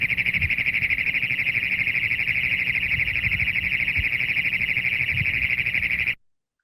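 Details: Great Plains Toad trill from the Canadian prairies, used in a wetland amphibian review: one unbroken, high, metallic, rapidly pulsed warble held steady for about six seconds, sounding almost robotic, with faint low rumbles beneath.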